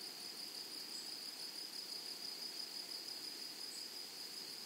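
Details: In a flowery meadow, grasshoppers keep up a high steady buzz that pulses slightly about three times a second, with a couple of faint higher chirps and a soft hiss beneath.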